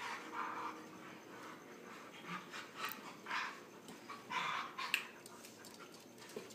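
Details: Husky pup and a fellow dog from a Husky, Chihuahua and Lab mix home, playing and wrestling; a long run of irregular panting huffs and short growly bursts, with scattered knocks and scuffles throughout.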